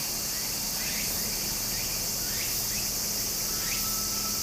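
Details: Cicadas singing in summer beside a stream in Japan: a steady, dense, shrill buzzing hiss high in pitch, with faint short rising chirps repeating underneath and a soft low hum.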